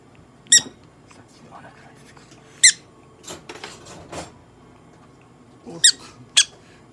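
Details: Pet prairie dog squeaking while being examined and treated at a veterinary clinic in Nagoya, Japan: four short, sharp, high squeaks with bright ringing overtones, spaced irregularly over several seconds, amid soft handling noises and quiet talk.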